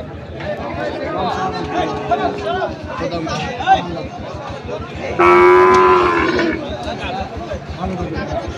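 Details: Sahiwal bull calf at the Ambari cattle market, Parbatipur, Dinajpur, Bangladesh, on 14 February 2025; one loud drawn-out moo over a busy crowd of chattering voices.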